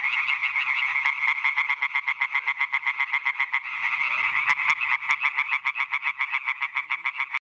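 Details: European tree frog chorus, loud rasping croaks in fast regular series about four per second, several animals overlapping into a steady pulsing din, a few faint clicks underneath.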